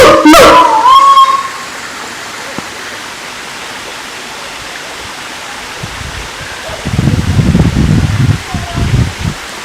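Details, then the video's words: Siamang at Taman Kyai Langgeng park, Magelang, Indonesia; a loud call opens with a sharp rising whoop in the first two seconds, then near silence, then a burst of rough low sound toward the end. "suara asli siamang kera gondok"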